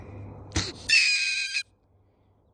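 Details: Mink trapped from beneath a home and awaiting relocation lets out a loud, raspy, high screech lasting under a second, preceded by a sharp knock and low background rumble.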